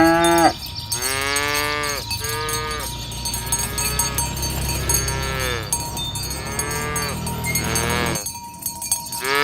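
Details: Dozens of fat tame cows walking along a village road in the morning toward the pen: overlapping moos from several animals, some higher and rising, others low and hoarse, under constant cowbell clatter.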